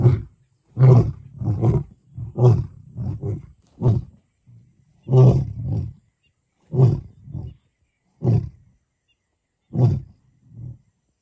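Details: Lion calling in a sequence of short, deep grunting roars separated by silent gaps that grow longer toward the end, with no other clear sounds.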